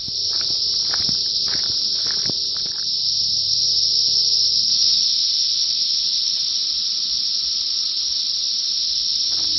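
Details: Brood X periodical cicadas at the peak of their 17-year emergence in Big Bone Lick State Park, northern Kentucky, thousands screaming from the treetops seeking mates; a steady, deafening high-pitched drone fills the clip, with brief clicks and rustling early on.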